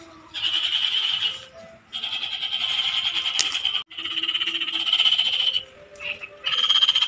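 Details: Frogs found in a Philippine provincial setting calling as a loud, sustained rasping chorus, long pulsed trills lasting one to two seconds each, overlapping and pausing briefly, with faint low background sounds.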